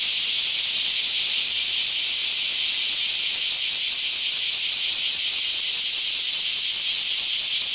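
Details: Huge numbers of bear cicadas in an Akashi, Japan, park give a constant shrill buzzing chorus, rasping and loud, with faint pulses rising and falling about twice a second.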